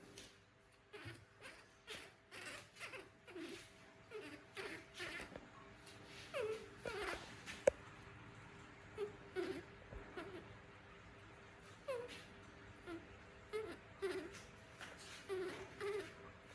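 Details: Pet monkey named Toro, a young animal asking its mother for milk before going to bed; soft, short whimpering and moaning calls with a falling tone, repeated every second or so, quiet, with faint rustling and clicks indoors.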